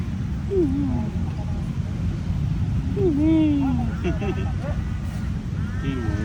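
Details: Tabby cat in Lumpini Park on an August 2026 evening at 6:14 PM gives two short meows that slide downward, with fainter calls after them. A loud low rumble runs throughout.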